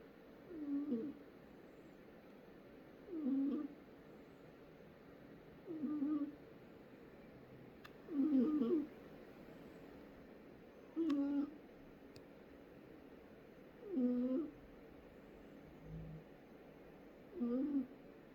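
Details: Sleeping cat snoring steadily, each low raspy breath rising and falling about every two and a half seconds in a quiet room, with a brief faint thump near the end.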